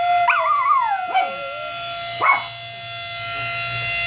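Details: Miniature pinschers howling indoors in response to a siren played from a phone; a wavering, falling howl opens, then shorter yelping cries follow over the steady tones of the siren.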